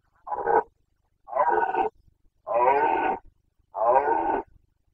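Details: A rutting Carpathian stag in Bucovina, breeding season 2021, bellows four times in a row, hoarse harmonic roars growing longer, each under a second and roughly a second apart.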